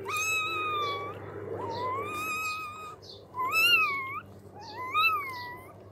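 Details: Blind newborn puppies whimper in four arched, wobbling cries that swell and fade, with brief pauses between them and a soft electrical-sounding hum in the background.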